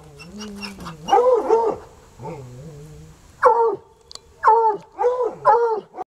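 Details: Two untrained coonhounds, Sunny and Hazard, still baying hours later at a raccoon up a tree on a rural property: drawn-out mournful howls and harmonic bawls, rising and falling, in bursts of about half a second to a second.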